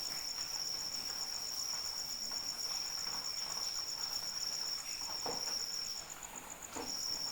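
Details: Cricket trilling at a constant high pitch amid rain, the song stopping for about half a second near the six-second mark before resuming, with soft rain patter and a couple of splashing drops.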